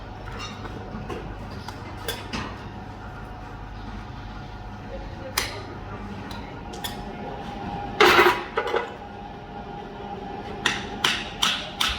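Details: Sharp metallic clinks and taps ring out over a low background hum and faint speech; no animal calls are heard.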